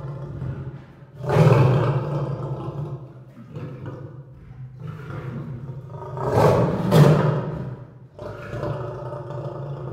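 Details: Lion giving deep drawn-out roars over a steady low droning rumble, two louder swells standing out roughly five seconds apart.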